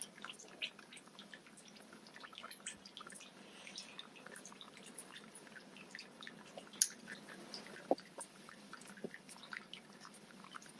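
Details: Smacking goldfish at feeding time: soft, scattered wet clicks and little surface pops at an uneven pace, one crisp louder smack around seven seconds and another soon after, with a quiet room hum underneath.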